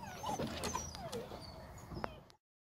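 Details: Female Presa Canario puppy in the USA giving a few short, high whimpering yips, one sliding downward, over a steady background hiss, all within about two seconds.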